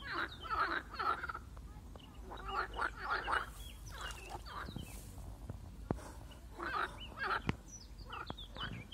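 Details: A marsh frog, set upon by a grass snake, croaks in harsh pulsed bursts of about a second, repeated in clusters with short pauses, while sharp clicks and a soft rush of noise sound in between.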